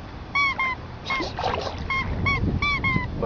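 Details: At the sea for the first time, the cocker spaniel Emo lets out short, clipped whines in close pairs and groups. The owners praise him in Greek over a background hiss of water.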